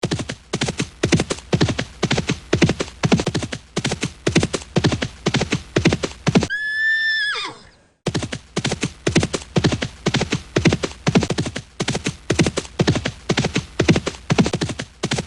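A horse gives a high, quavering whinny that trails downward, between steady runs of galloping hoofbeats.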